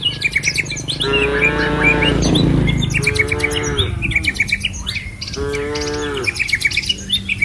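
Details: Herd of cattle on a village road lined with trees and rice fields: three medium-length moos roughly two seconds apart, under a dense chorus of chirping birds and low rumbling noise.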